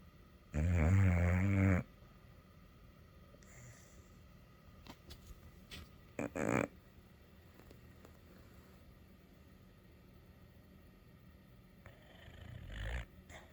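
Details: Kimber, a pet dog, snoring indoors: one loud, deep, buzzy snore lasting about a second near the start, then a quiet room with faint clicks and a couple of shorter rough bursts later.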